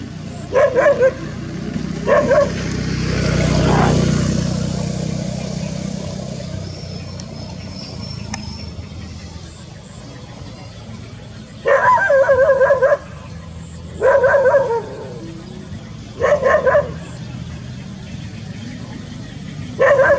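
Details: Golden and brown mixed Labrador Retrievers in a rural rice field. Brief barks come early, then a rushing swell of noise. After a pause, spaced groups of sharp barks return every couple of seconds.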